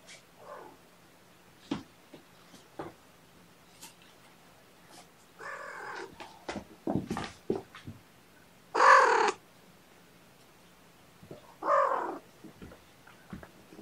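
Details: Sleepy foster kittens waking gently from a nap indoors on weigh-in night, snuggled beside a person; a few short tonal mews rise out of quiet rustling, with one brighter, stronger call near the middle and another toward the end.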